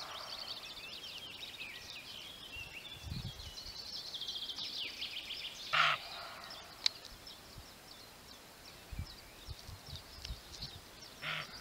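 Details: Roe buck barking: one short, harsh, rough burst stands out near the middle, and a fainter second bark comes at the end, set against steady high birdsong and background hiss.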